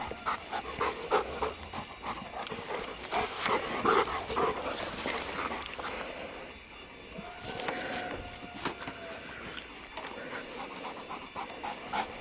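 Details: Brown, a young pound-puppy mutt who never tires of his frisbee, pants steadily in fast rasping breaths; faint tonal music lines drift in around seven to nine seconds.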